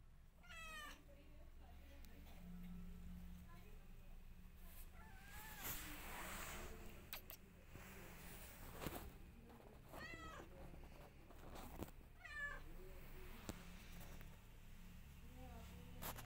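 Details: Mother cat missing her former house and trying to get out of the new one, giving several short rising-falling meows spaced a few seconds apart, with thumps and a constant low hum.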